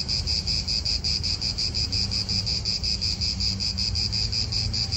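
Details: Cicadas in an Italian park: a steady, shrill high buzz, pulsing in rapid regular beats about three per second, with a low rumble of wind and distant traffic beneath.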